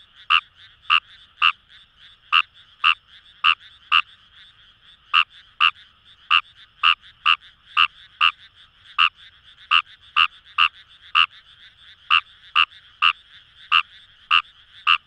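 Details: Fejervarya kawamurai calling in paddy fields along the Kamo River, Itoshima, Fukuoka, Japan: short harsh croaks repeated roughly twice a second in irregular runs, with a steady chorus of fainter frogs trilling behind.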